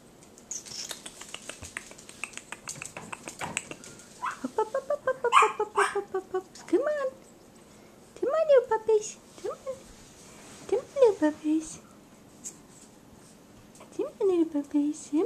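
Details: Four-week-old puppies indoors giving a run of short whining, rising-and-falling squeals in bursts, with a person speaking softly and coaxing nearby.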